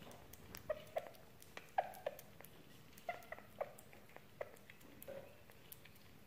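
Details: Sugar glider eating: sharp crunchy bites and clicks arrive about once a second in an uneven rhythm, over a low, steady indoor hum.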